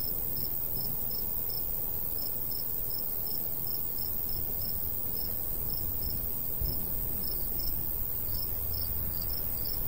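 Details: Crickets chirping in summertime countryside beside a golden wheat field: bright, high pulses repeating steadily about twice a second throughout, over a constant low rush of breeze.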